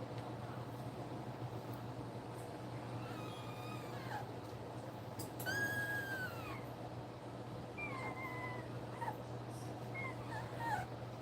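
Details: Two-week-old German Shepherd puppies nursing, giving thin, high, arching squeals and whimpers that rise then fall, several in a cluster midway and a few shorter ones later, over a steady low electrical hum.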